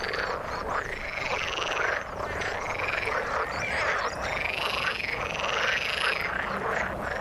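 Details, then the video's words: Frogs in the water in full chorus, with repeated swooping, rising-and-falling trilled calls that come roughly every second over a dense bed of croaking. "Frog sound in the water"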